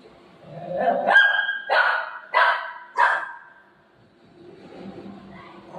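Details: Golden Retriever in play with its owner; a low growling rumble rises into four loud, yelping barks in quick succession, then fades back to soft grumbling and a faint voice.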